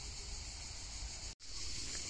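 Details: Cicadas sing in a steady, high, hissing buzz over low wind rumble beside a small pond surrounded by trees in the wild, with birds around.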